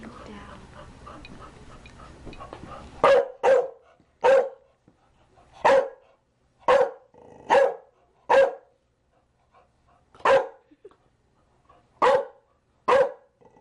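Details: Chow Chow dog barking: after about three seconds of low rumbling background noise, a run of about ten sharp, loud barks in irregular bursts, some in quick pairs, with quiet gaps between.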